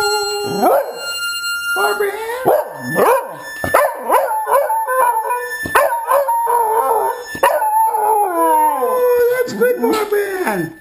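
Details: Seven-year-old Jack Russell / Rat Terrier mix howling with its owner's rendition of "Barbara Ann"; repeated swooping, sliding howls and yelps overlap a person singing, in uneven bursts.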